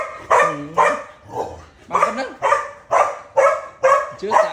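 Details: Dog barking at a cat in a steady run of about nine harsh barks, roughly two per second, some with a whining, wavering tone between them; a faint voice may be present.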